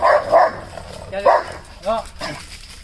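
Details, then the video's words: Rottweiler barking at another dog: two loud barks, a third bark, then shorter, higher yelping barks. "Rottweiler vs Rottweiler barking challenge | Rottweiler barking | Dog barking at each"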